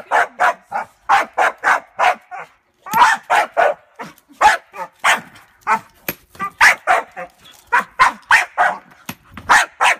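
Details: Bongo, a female Staffordshire bull terrier cross Rottweiler, barks angrily indoors at a suitcase as its adjustable handle moves; rapid sharp barks in quick bursts, about three per second, with brief pauses and a woman's voice in between.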